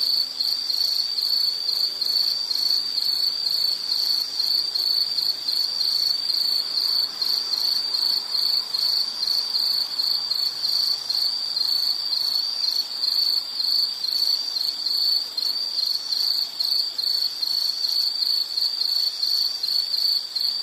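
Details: Soothing insect soundscape for study or sleep: a dense high ringing chorus of cricket-like chirps, pulsing steadily throughout, with several fainter callers layered at higher pitches and low background hiss.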